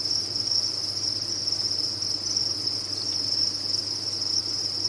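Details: A cricket farm full of crickets chirps together, a constant high trilling drone that blurs into one sustained tone, with a low steady hum beneath it.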